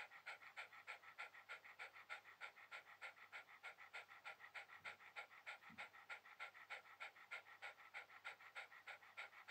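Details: Relaxed Shiba Inu resting on a towel, breathing in fast regular pants near three per second, the steady huffing interrupted only by a couple of soft low thumps midway.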